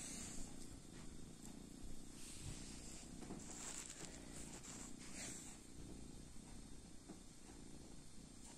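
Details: Sleeping kitten purring: a low, steady rumbling drone runs throughout, with soft rustles and a faint high hiss in the room.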